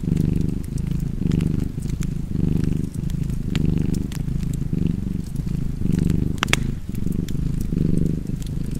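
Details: Continuous low cat purr pulsing in regular inhale-exhale waves, around eight cycles, with a fireplace snapping and crackling in the background.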